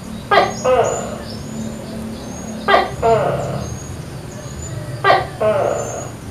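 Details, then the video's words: A wild tokay gecko in a backyard coconut tree calls in the morning. Three evenly spaced calls roughly every two and a half seconds, each a brisk clipped note then a longer nasal croak. Distant bird whistles and a low background hum. "Bunyi TOKEK Di Pagi Hari"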